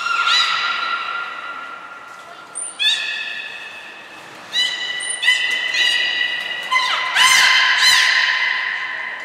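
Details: Belugas Hodoi, Taanya and Mirai at Nagoya Port Aquarium, Japan, on 14 March 2021, during pool moves and training. Bursts of harmonic squealing calls, steady then sliding, with short high pure tones between them, echoing in a large hall.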